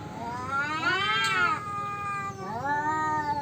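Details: Two tomcats feud over their territory: a rising then falling drawn-out yowl, a brief break, then a second long moaning yowl that climbs and holds steady.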